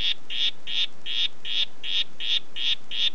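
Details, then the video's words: Red-headed harlequin poison frog (Oophaga histrionica, "Red Head") giving eight rapid buzzy notes in about three seconds, each a brief high rattle repeated at a regular, quick rhythm, with nothing else audible. "Oophaga histrionica "Red Head" Ruf"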